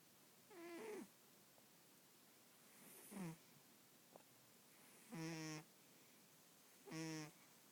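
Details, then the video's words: Female pet cat snoring in her sleep, a daily habit; four short nasal, harmonic rasping breaths at irregular intervals of about two seconds, with a quiet background. "My cat snoring"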